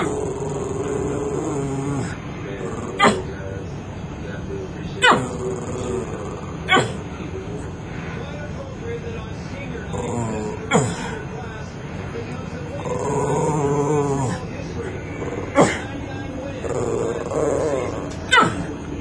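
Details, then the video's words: Dog with an unusual bark: about six sharp, abrupt barks spaced a few seconds apart, with human talking and a steady background hum between them. "Dog With Unusual Bark"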